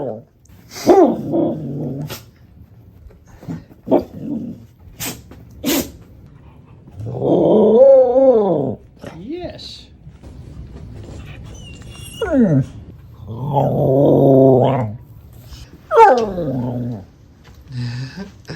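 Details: Happy dog's 'arooo' howls: scattered clicks and short sounds, then two drawn-out harmonic warbling moans around the middle and later, broken up by quick downward-sliding whines and some background speech.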